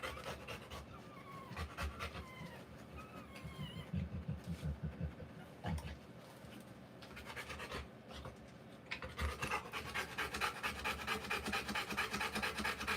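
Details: Female Rottweiler during the live birth of her puppies, struggling to reach around her swollen belly; thin squeaky curving cries in the first seconds, then rapid, steady breathy panting resumes after a pause and carries to the end.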